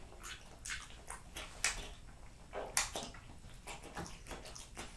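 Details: Jessica, a French Bulldog, chews a plate of raw lamb cutlets, beef schnitzel and BBQ pulled pork in close ASMR recording; moist slurps and sharp smacks repeat roughly once a second, two crisp bites standing out.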